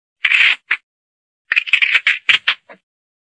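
A mongoose gives harsh, raspy squeaks: one long scratchy burst, a short yelp, then a quick run of six or seven chattering notes.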